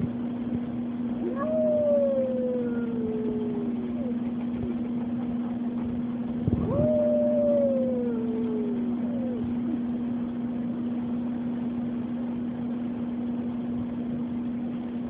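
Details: Oliver the dog, at Oliver's Dog Daycare and Boarding, howls during the weekly tornado siren test. Two drawn-out howls, each rising briefly and then sliding gradually downward, are separated by a pause, with the constant siren tone beneath them.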